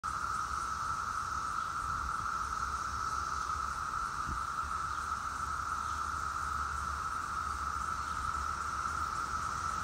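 A dense chorus of periodical cicadas produces an unbroken, high buzzing whine that never pauses. Males sing together like this to attract females for mating, with a faint low rumble underneath.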